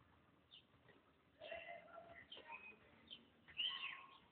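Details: A pet cat in her new play basket meows; harmonic, tonal calls around 1.5 seconds and a higher, rising-then-falling meow near the end, with soft speech-like sounds between.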